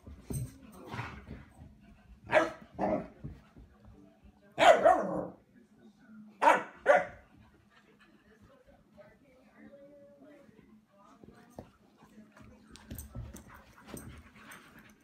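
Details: German Shepherd Skottke playing with a new puppy brother in the house: five loud, short barks in two close pairs and one longer burst over about five seconds, then quieter rustling with faint voices.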